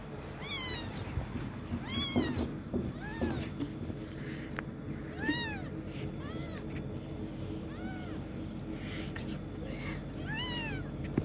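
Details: Kitten learning to walk, giving a series of high, thin meows, each an arched rise-and-fall, about eight across the stretch, some louder early on, over a low steady background hum.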